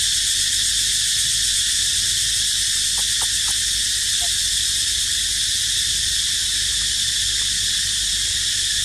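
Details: Cicadas keep up a dense, unbroken high-pitched drone, shrill and even throughout, with a few short soft clicks or knocks about a third of the way in.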